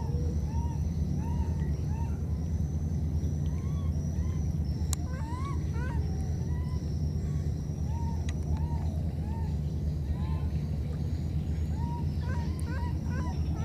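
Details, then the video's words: Separated by a flood, two young monkeys exchange calls: scattered thin arched squeaks, occasional quick rising doublets, and a few sharp clicks, all above a dense continuous low rumbling noise. "Calling each other, these two baby monkeys were separated because of the flood"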